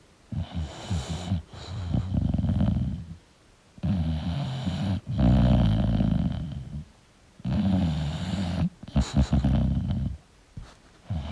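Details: English bulldog snoring in its sleep. Loud, gravelly, low snores of a second or more each alternate with brief quiet gaps, some breaths ending in a snorting catch.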